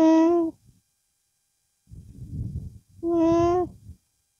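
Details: Nasal humming from a llama with its young: a short even hum, a stretch of low rustling and snuffling, then a second hum, steady and slightly falling at its close.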